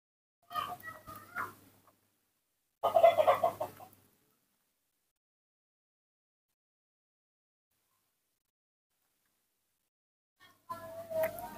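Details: Hand-raised baby monkey crying for its morning milk: short squealing, chattering bursts, two close together near the start, then a long silence and a third burst at the end.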